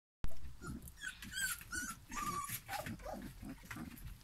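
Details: Three-week-old Airedale Terrier puppies from a November 2018 litter, giving short whimpers and squeaks with rising and falling whines, over low rumbling and shuffling noise.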